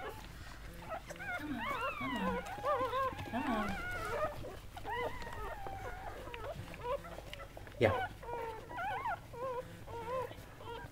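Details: Newborn Goldendoodle pups, seven born to mother dog Sandy, cry in a busy stream of arching, whiny squeals and short yelps, one sharp cry standing out, while a person speaks on the phone nearby.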